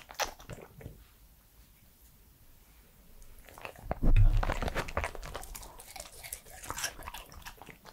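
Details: A three-year-old male Pembroke Welsh Corgi chews food. Soft clicks open the recording, then a quiet pause. Loud crunching starts around halfway and continues in irregular bites, roughly four per second.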